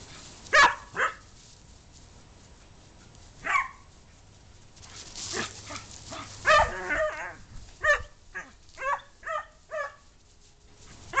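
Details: Pet dog barking during play with another dog, short sharp barks in bursts, some single and some quickly repeated, growing more frequent toward the end, with quiet thumps of movement between them.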